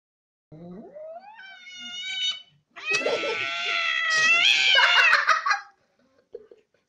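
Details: Angry domestic cat: a short rising, wavering cry first, then after a brief pause a loud, drawn-out harmonic wail lasting about three seconds that swells toward the end before cutting off; a faint short sound follows.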